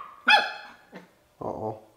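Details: Bichon Frise puppy, ten weeks old, barking to play: a single bright, high yap followed by a faint short bark and a lower, rougher grumbling bark.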